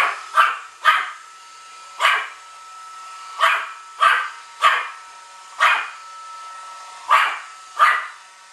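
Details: Pomeranian aged one year barking at a Roomba robot vacuum it treats as an enemy; nine high, sharp single barks spaced about a second apart over a steady mechanical hum.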